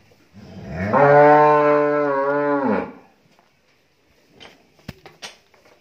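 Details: Thirteen-month-old Friesian heifer calf at a dairy farm in Bhangura, Pabna, Bangladesh, giving one loud, steady, deeply harmonic moo lasting about two seconds, swelling then cut off, followed by quiet clicks and knocks.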